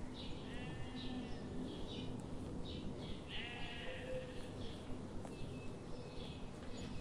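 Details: Sheep grazing among forest trees in the morning sun. Two clear, trembling bleats stand out, one early and a longer one past the middle. Faint ticking and a low steady drone sit beneath.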